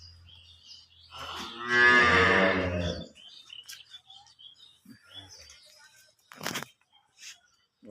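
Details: Holstein Friesian cow with calf on a farm, one loud, harmonic moo lasting about two seconds that swells and then fades. Quieter murmurs follow, along with a sharp noise burst and a man speaking in Bengali.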